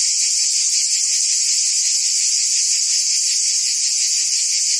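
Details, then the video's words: Continuous shrill buzzing of cicadas in the trees of a forest, an unbroken high hiss-like whine holding even loudness throughout with a slight rapid shimmer. "Ambient Cicada Sounds"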